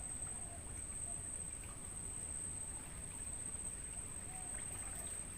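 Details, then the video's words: A constant, piercing high trill from crickets in a natural mangrove forest, used to train songbirds, runs without pause over a low murmuring background with occasional faint bird notes. "Suara Jangkrik buat Masteran Burung"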